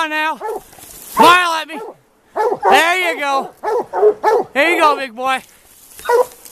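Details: White Deer Plott hounds on a mountain lion hunt, trailing a big tom lion in the afternoon; drawn-out rising-and-falling bawls from more than one hound overlap, broken by a brief silence near the middle.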